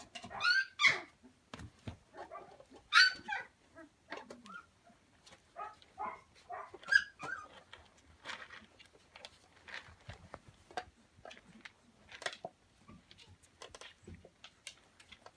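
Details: Recorded on Prince Edward Island, Canada, in late December 2015, a litter of Samoyed puppies romps with a pool noodle, giving bright squeaky yelps and whines in bursts, loudest early on, then softer chuffs and tapping scuffles.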